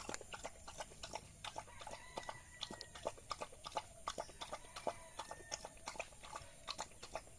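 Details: Village dog eating rice: quick wet smacking and chewing clicks, roughly three per second and unevenly spaced, with faint thin tonal sounds in the background.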